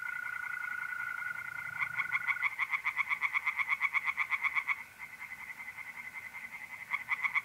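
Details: Tree frogs at a pond by night in mid-April, north-east Italy. A steady mole-cricket trill opens, then a loud train of fast rasping pulses runs for about three seconds, fades, and starts again near the end.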